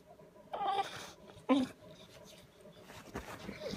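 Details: Bulldog sulking for attention on a Saturday morning at 7:30: two short high whines about a second apart, followed by quieter snuffling breaths.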